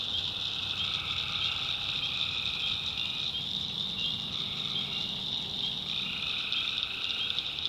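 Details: Tree frogs calling at night in a swamp in the backwoods of North Carolina: a dense, shrill chorus holds a constant high band, with lower trilled layers swelling and fading over a steady hiss of insects.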